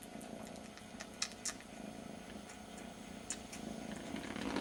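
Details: Very young kitten licking its brother's ear as a substitute for its missing mother, indoors; a low steady purr runs throughout, with scattered sharp licking clicks on top.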